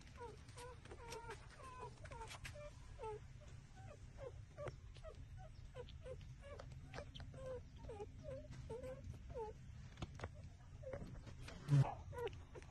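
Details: Several six-day-old puppies nursing on their mother, trembling as they suck, let out a steady stream of thin, wavering whimpers, roughly two each second, over a low hum, with a brief thump near the end.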